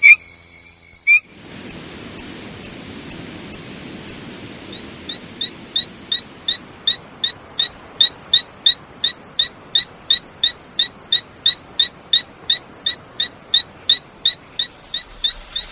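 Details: Frog calling in a fast, even series of short clicky notes, close to three per second, growing louder and steadier after a brief opening, with a soft hiss of background noise beneath.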